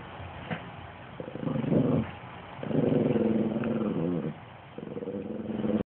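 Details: Sustained playful growls as a Chihuahua tugs against a Great Pyrenees in tug of war; three long, rolling growls of about a second each, separated by brief gaps over a steady background hiss.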